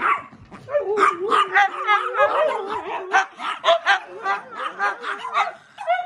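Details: Several pet dogs at home interrupt an attempt to watch a TV show, breaking into overlapping yips and short barks over drawn-out wavering whines that rise and fall continuously, voices tangled together throughout.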